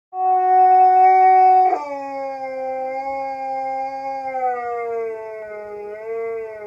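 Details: A husky at a hostel in Jasper, Alberta, one of two that howled back and forth all morning, gives a long, sustained howl that drops in pitch and trails off in a wavering tone.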